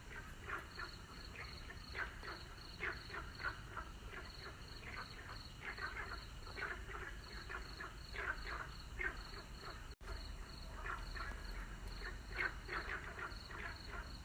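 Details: Frogs calling at sunset, a dense chorus of short croaking pulses repeated rapidly and overlapping from many callers, with a steady high insect-like whine above and low background rumble; brief dropout near ten seconds.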